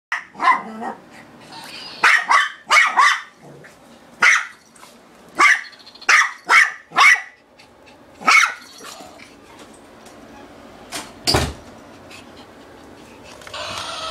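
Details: Sha sha, a female Shih Tzu, barks nonstop at a toy she is afraid to grab during play: a rapid run of sharp, high barks in bursts, some doubled, then fading to scattered yaps with a thump near the end.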